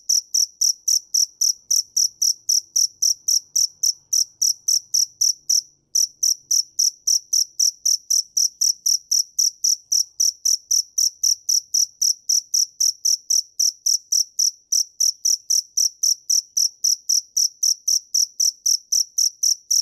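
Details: Cricket (dế mèn) chirping steadily, with bright high-pitched pulses repeated about four times per second. There is one brief pause midway, then the even rhythm resumes. No other sounds.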